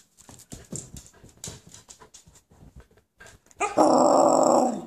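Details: Husky puppies asking for breakfast: a run of soft clicks and shuffling gives way to a loud, sustained, wavering howl-like cry held through the last second, set indoors in a small room.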